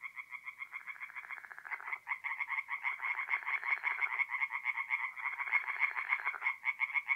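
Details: Tree frogs calling at night from a forest pond in North-East Italy in mid-April: clear, fast, overlapping rattling croaks from several frogs, roughly three or four per second, against a quiet background.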